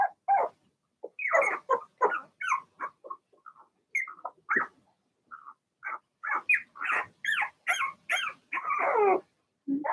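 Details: Blenheim Cavalier King Charles Spaniel puppies from a litter of six in a home puppy pen, yapping in a busy overlapping series of short high barks and yips, some rising and whiny, with few pauses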